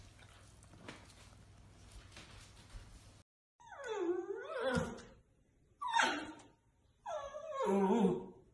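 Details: A dog prompted by a singing person to speak answers with drawn-out wavering howls, three rising and falling moaning calls following a quiet stretch of room noise.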